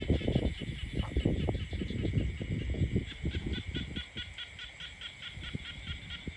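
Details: Frogs croaking in peaceful countryside; a dense chorus of low, rapid, irregular croaking pulses, several per second, over a steady high-pitched droning hum.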